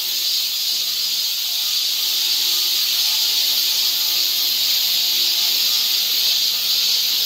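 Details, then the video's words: Cicadas singing in a summer forest along a trail near Seoul, Korea: a dense, steady, high hissing drone that never pauses, with faint thin tonal lines beneath. "cicada sound"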